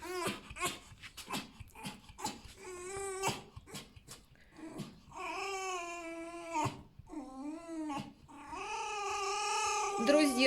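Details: Tame male fox kept at home, at breakfast time after a good rest, indoors: a run of short sharp yelps and clicks, then several long, drawn-out, nasal whines holding a steady pitch with a slight wavering at the ends.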